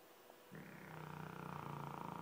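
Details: A Dogue de Bordeaux snoring: after half a second of near silence, a steady low, rumbling snore with a fast fluttering pulse sets in and holds to the end, gradually growing slightly louder.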